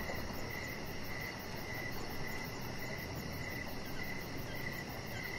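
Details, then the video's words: Crickets at dusk-to-evening outside a deck with decoration lights and a resting chihuahua; brief rhythmic chirps repeat steadily, layered over a continuous low drone and soft, quick, very high pulses. "3 Hours Of Chihuahua Puppy Laying On Deck with Cricket Sounds"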